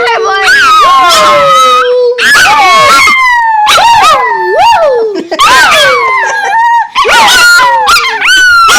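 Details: A pet dog vocalizing loudly and close: long, wavering howl-like whines that swoop up and down in pitch, delivered in bursts of roughly a second or two with short breaks between them.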